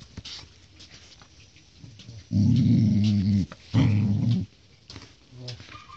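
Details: During a scuffle with a golden retriever puppy, Siberian Husky puppy Thor gives two sustained, rumbling growls, each about a second long with a brief gap between. Faint scuffling sounds precede and follow them.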